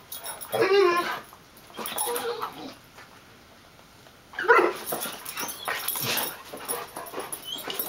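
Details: Three dogs at play, a terrier mix with a golden retriever and a chocolate lab-weimaraner mix, trading whiny yips and throaty play growls in bursts of about a second, separated by short quiet gaps.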